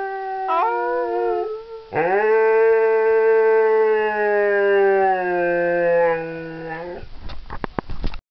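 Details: Siberian husky howls: brief wavering notes, then a deep, rich, drawn-out howl held steady for about five seconds. Scattered clicks and knocks come at the end.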